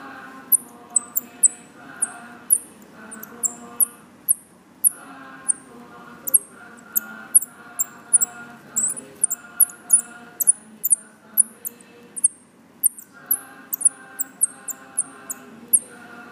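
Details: Baby Himalayan striped squirrels (Tamiops mcclellandii), found on the ground outside a house in Lampang, Thailand, give rapid, very high, thin squeaks in quick bursts at feeding time, two days after being found.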